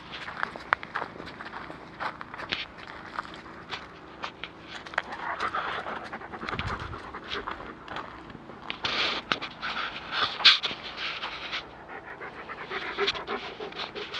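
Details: German Shepherd on a walk in the woods, panting steadily in quick breathy bursts, with footsteps and rustling on the ground throughout and a few sharp clicks.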